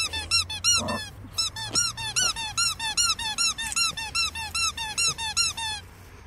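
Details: Two-month-old Staffordshire Bull Terrier puppy whining continuously indoors: high, squeaky, arched cries repeated about two or three per second for six seconds, steady and insistent.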